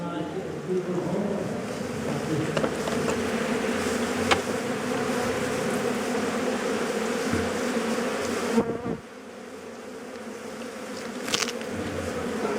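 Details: Swarming honey bees buzz loudly around a hive being harvested for honey by bushmen, a dense steady hum with a brief drop near nine seconds, people talking in the background.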